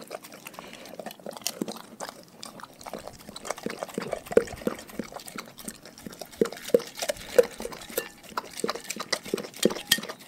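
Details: Dogs eating a raw food diet: wet, rhythmic smacking and licking punctuated by sharp crunches that grow louder and denser in the second half.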